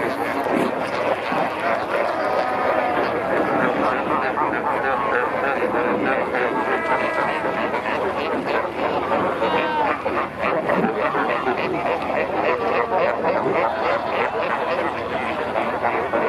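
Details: Fur seals at Pelican Point, Walvis Bay, Namibia, where many pups were recently born, recorded from a kayak among them: a dense, constant chorus of overlapping harsh, harmonic bleats and barks with no pause.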